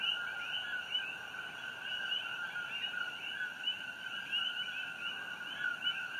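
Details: Many coqui frogs singing after dark near Fissure 8 on Hawaii Island, June 27, 2018. The clear two-tone calls repeat rapidly, a steady lower note followed by a high upward-sweeping chirp, overlapping into a dense, ringing chorus.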